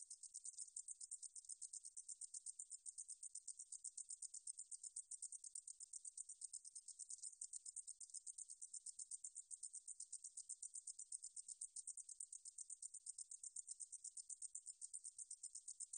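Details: Katydid (Deungjul-eori-ssaekssaegi), 2020 recording from the National Institute of Biological Resources, Korea: continuous high-pitched ticking buzz, evenly spaced rapid pulses with no pauses, against a silent background.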